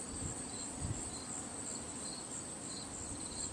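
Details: Crickets chirp steadily in high, pulsing bursts over a low background rumble during the solar eclipse of 21 August 2017, as the daylight dims.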